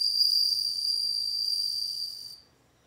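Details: Song of a bell cricket, a sustained high-pitched ringing trill with shimmering overtones, held evenly for over two seconds before stopping abruptly into silence.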